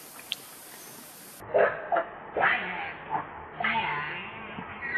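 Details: Baby monkey Lucie crying in need of milk, hungry and foaming at the mouth; after a short rustly lead-in, loud harmonic wails and squeals rise and fall in bursts about every half second to a second.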